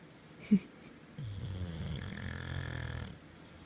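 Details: A male English Bulldog, sleeping on his pregnant owner's belly, snores with a low, rumbling, rattling breath that drones on for nearly two seconds.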